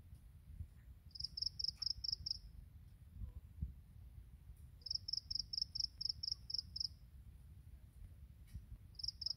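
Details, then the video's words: In the morning, grass insects give high, clear pulsed chirps in groups of six to ten, separated by quiet gaps of two to three seconds, with soft low background noise. "풀벌레의 아침 노래"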